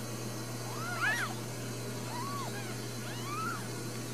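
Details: Four brand-new Ragdoll kittens, another possibly being born, at a home cattery in central Kansas: three soft arched mews spaced about a second apart, a lower one in the middle, over constant low hum.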